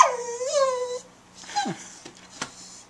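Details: Sadie, an eight-year-old brown Border Collie mix in the Bahamas, gives an odd drawn-out vocal bark, a falling then level whine-like tone lasting about a second, followed by quieter yips and a sharp click, with a steady hum behind.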